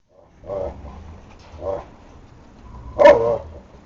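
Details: Šarplaninac puppies giving two soft, low barking yips followed by a louder, sharper yelp near the end, indoors with little background noise.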